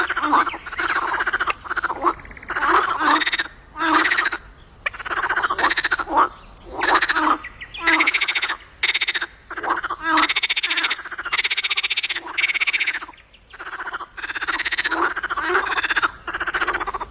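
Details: Frogs in a swamp at night give harsh, raspy screaming calls in quick bursts, repeating over and over with brief pauses.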